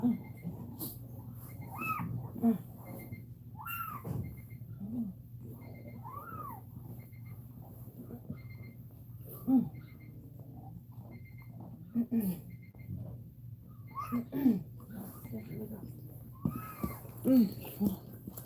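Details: Cane Corso crying indoors during a labour, the mother Cashmere whelping: short high arched whimpers and squeals, rising then falling, repeated every one to two seconds over a steady low electrical hum.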